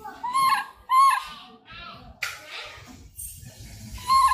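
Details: A langur utters clear, tonal squealing cries, two in quick succession, then a third after a pause, with softer rustling and breathy noises between them.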